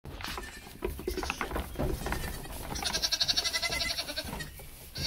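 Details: Nigerian Dwarf goat kids romping with their mothers and friends; a wavering, pulsed bleat dominates the middle seconds, with rustling and scuffling of hooves around it.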